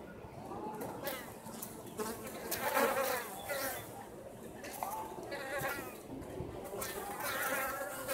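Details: Wintering Japanese honey bee colony at Osaka Castle, Japan, active on a mild late-autumn day with bees leaving to gather food; dense, shifting buzz of many bees, pitch bending as individuals fly by.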